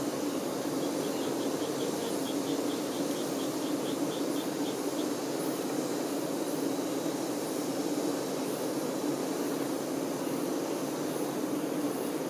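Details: Worker honey bees attending the queen give an unbroken low droning hum; a quick high trill of rapid ticks runs briefly near the start, and faint high clicks recur through the drone.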